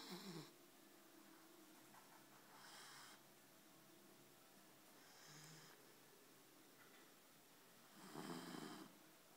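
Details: Sleeping Labrador Retriever snoring quietly: soft, breathy, rasping bursts, each under a second long, recurring roughly every two to three seconds in a quiet room.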